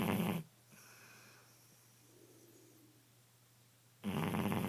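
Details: Sleeping Shar Pei dog snoring indoors: a loud, rough, rumbling snore cut off at the start, a quiet breathing pause of about three and a half seconds, then another harsh snore beginning near the end.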